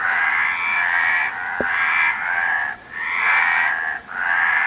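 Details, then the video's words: Frogs croaking in a dense chorus, long buzzy rasping calls in overlapping bursts of about a second each, broken by brief gaps, over a steady background hiss. "Frog Sound"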